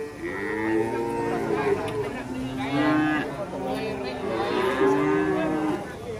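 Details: Cattle in Indonesia after Eid al-Adha lowing repeatedly, with several overlapping drawn-out moos that waver up and down in pitch about every two seconds. Faint music plays underneath.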